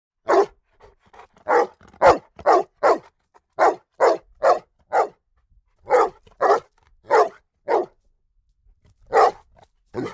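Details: A Rhodesian Ridgeback x Bullmastiff cross, a large, strong dog, barks in a long sequence of deep, sharp, single barks.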